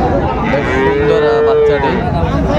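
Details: A single long, steady moo from a Friesian or cross-bred bull calf at Raniganj cattle market, Dinajpur, 26 December 2024, over a dense background of market noise.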